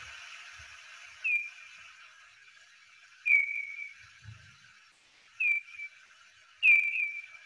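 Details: Slowed-down echolocation calls of a hoary bat, originally around 20 kHz (lower than big and little brown bats), come as short downward-sweeping chirps repeating every one to two seconds over a steady hiss, with a faint low thump partway through.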